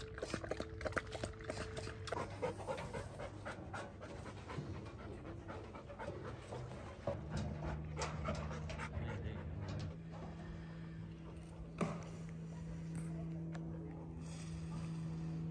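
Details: Tired after trail walking at Pine Island trails, a male Bernese mountain dog on his first hike breathes in fast, rough pants, close to four per second, over low steady hum and faint music-like tones.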